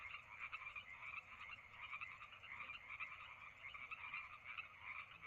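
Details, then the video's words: Frogs croaking through a summer night at Lake Madrone: a dense, steady chorus of rapid pulsed calls, continuous throughout with no clear gaps, with no other sounds standing out. "Lake Madrone Sounds of the Summer Night"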